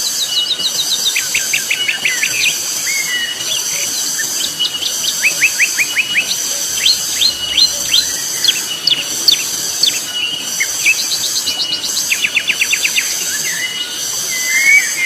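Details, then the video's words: Cicadas ring out very loudly on Mount Pabangbon, a continuous piercing hiss pulsing about once a second. Rapid bird trills and chirps repeatedly break through in front. "Suara tonggeret nyaring sekali di Gunung Pabangbon."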